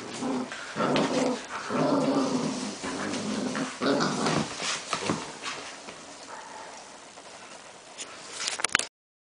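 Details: Irish Red Setters: Samba, a mother, with her puppies at 7.5 weeks old. Throaty whimpering and low growl-like bursts with tonal harmonics fill the first half. Quieter rustling and shuffling follow, then a few sharp clicks at the end.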